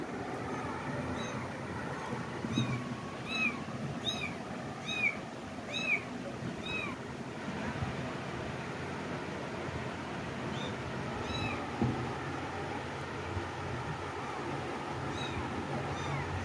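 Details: Cats giving a rapid run of short, high, arched meows, each rising then falling, bunched in the first seven seconds before thinning to a few fainter cries over a steady rumbling background hiss.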